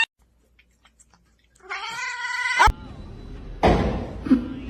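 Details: Domestic cat giving a single drawn-out, wavering yowl lasting about a second, its pitch rising slightly at the end, followed by sharp thuds and clattering noises in an indoor setting.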